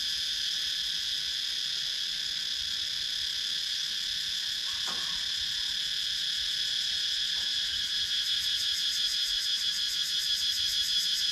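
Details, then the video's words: Cicadas in wooded countryside at Sakon Nakhon, Thailand, recorded with a GoPro Hero 9: a dense, steady high buzzing chorus in layered bands, with a faint rapid pulsing toward the end and one brief soft knock midway. "Cicadas Sound"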